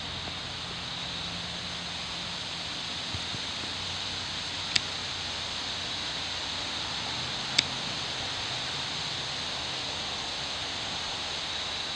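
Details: A steady broadband hiss, like wind or rushing water, with two brief sharp clicks and no clear animal voice.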